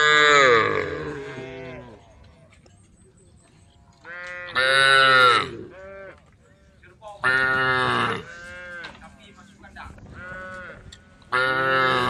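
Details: Group of tame female cows eating grass, giving loud separate moos with strong harmonics, roughly every two to three seconds, with quiet gaps and a faint low hum between calls.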